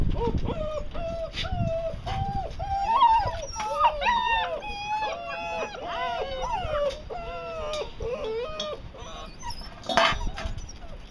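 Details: Several six-week-old puppies whimpering and whining, a dense chorus of overlapping high, wavering cries with short falling and rising slurs, nearly continuous for the whole stretch, with faint human voices in the background.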